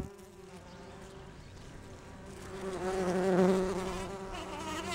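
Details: Bumblebee resembling a Bombus ardens or Bombus ignitus type, gathering pollen on rhododendron flowers. A low, steady droning hum rises and grows louder midway, with rich stacked overtones, after a quieter, fainter start.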